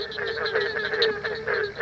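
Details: Barking treefrogs calling from deep water at a night breeding site in Ocala National Forest: a continuous chorus of hollow, pulsing notes from many frogs overlapping in quick succession.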